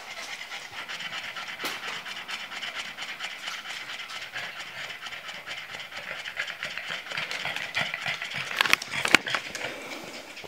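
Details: Boston Terriers, exhausted after a short walk, pant rapidly and steadily in a breathy, hissing rhythm of quick in-and-out breaths.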